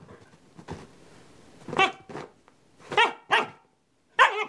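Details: Very young male Northern Inuit puppy having a tantrum because he did not want to settle, letting out sharp, high yelping barks in uneven bursts, five clear barks after a soft start, with indoor room sound.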